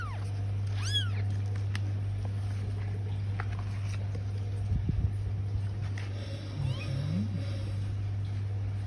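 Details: A Bengal kitten gives one clear, arched, high meow near the start, then faint scattered sounds over a steady low electrical hum.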